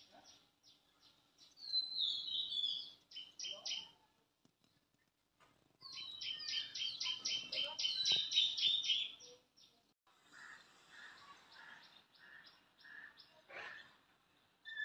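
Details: Squirrel filmed in a village one morning, giving rapid, regular bursts of high, sharp chips repeated several times a second in two main runs, then softer chatter, with faint speech and background noise.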